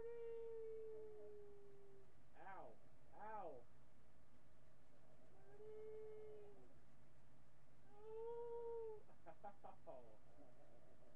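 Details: Miniature pinscher named Marty howling, captured on a webcam on July 8, 2011, late morning: drawn-out steady howls alternate with quick wavering yelping bursts, the long notes arching gently and fading, repeated about every three seconds, indoors.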